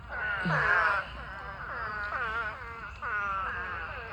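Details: Spadefoot toads in a huge mating swarm, thousands of them filling a pond, giving nasal, bleating calls that sweep downward. The calls overlap in bursts of about a second, with one loud call at the start and quieter callers behind it.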